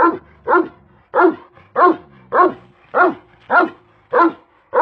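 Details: Steady barking from a big Kangal shepherd dog named Karabaş: about nine deep, rich woofs in an even rhythm, roughly one every half second, each with a rough, resonant quality.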